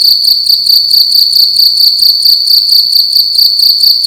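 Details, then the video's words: Cricket calling at night within a room: piercing high-pitched chirps repeated in an even, throbbing rhythm, loud and unbroken over a few seconds. "Cricket making loud sounds at night in a room"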